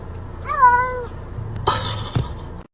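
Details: Domestic cat giving a single clear, tonal meow that rises slightly then holds level for about half a second, followed by a short rough, noisy sound and faint indoor background noise.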